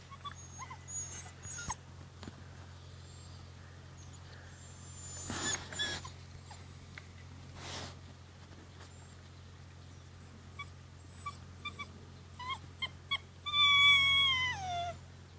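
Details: Rhodesian Ridgeback puppies, 53 days old, playing indoors: scattered faint squeaks and rustling thumps, ending in a loud drawn whine that slides downward over about a second; low steady hum throughout.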